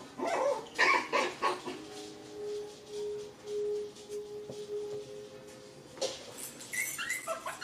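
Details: Six-week-old puppies from Rainy and Fancy's litter playing together in their pen; short, high, harmonic yips and barks come in bursts at the start and again near the end, over steady sustained musical tones in the background.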